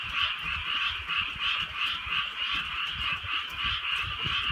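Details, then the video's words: Rural Korean night in gentle rain: massed frogs croak in a continuous rhythmic chorus about three pulses a second, with low thumps of rain or drips underneath. "개구리 소리"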